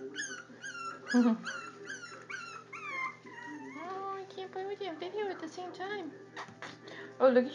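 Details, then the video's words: Four-week-old Jack Russell Terrier puppies from the same litter whimpering and squealing in a series of high, falling whines, with a woman talking softly and faint music behind. "JoJo's Jack Russell Puppies 4 weeks"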